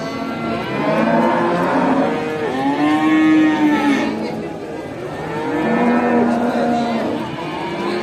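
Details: Farm cows call to each other in long, overlapping moos, one drawn-out low bellow answering another, as the herd is driven back to the barn after grazing in a village.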